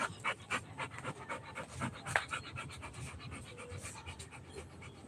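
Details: Rottweiler puppy panting rapidly during playtime, quick breathy puffs at roughly four per second, uneven in strength, with a louder huff near the middle and soft indoor background noise.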